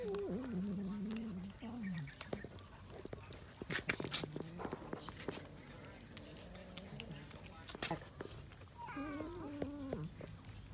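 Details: Cats eating raw fish. A drawn-out, wavering meow opens, followed by clicks and chewing noises, then a short, bright, rising meow near the end over a low hum.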